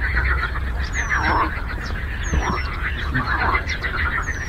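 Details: Frogs croaking on a lake: continuous rattling chorus with louder croak bursts about every second, while thin, high, descending whistles from another animal sound three times.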